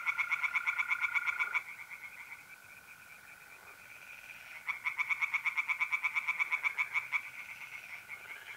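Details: Pond tree frogs singing at night, April, north-east Italy, with mole crickets. A burst of rapid croaks, a pause filled by a steady continuous trill, then another fast loud series of pulses.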